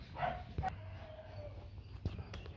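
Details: Rottweiler puppies from a litter of four, two males and two females, with their mother Hanna Gervi at a kennel in 2024 on puppy-picking day: a short high yelp, then a thin steady whine sliding slightly downward, with scattered clicks and knocks.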